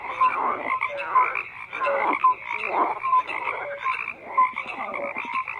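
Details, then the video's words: Croaking frogs call together, rough rattling croaks repeating about once a second in loose rhythm, with short bright whistle-like notes between the bursts. "FROGS CROAKING"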